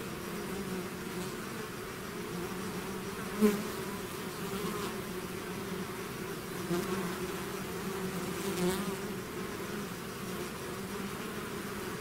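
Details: A swarm of bees out of its hive, many wings humming together in a steady, dense drone with a low hum and a brighter overtone band above it, plus occasional brief louder passes of single bees close by.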